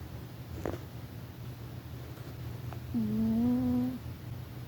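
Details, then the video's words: Rufus, a pet cat, snoring while asleep indoors: one whistling, tonal breath of about a second, steady and slightly rising, over a low hum, with faint short clicks before it. "Cat Snoring"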